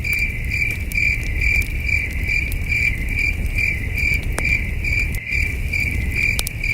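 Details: Night chorus of crickets at a peaceful camping site under the stars: even, high-pitched chirps pulsing roughly twice a second, with occasional campfire pops and a low windy rumble.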